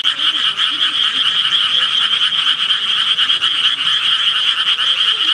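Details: Many frogs calling together, a continuous high, buzzing trill of fast pulses that never pauses, with soft low warbling croaks faintly underneath.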